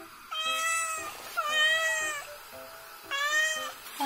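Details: Domestic cat meowing indoors while waiting for tuna as water boils; three loud, harmonic, drawn-out meows with a slight rise and fall, a person's voice and background music between them.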